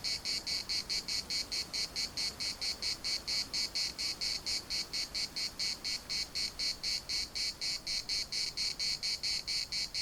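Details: Cicadas singing in the municipal park of Larnaca, a loud, high, buzzy pulsing chorus, the pulses repeated evenly about twice per second, steady and dense throughout.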